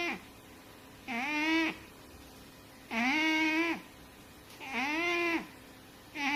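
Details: Sleeping fat cat gives nasal, harmonic snores, each about half a second long with a slight upward bend then steady pitch, repeating regularly every one and a half to two seconds over near silence.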